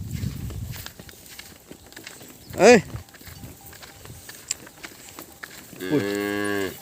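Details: Cattle calves calling out for their missing mothers; a brief sharp rising cry in the middle, then a long steady harmonic moo near the end, amid low rustling and background noise.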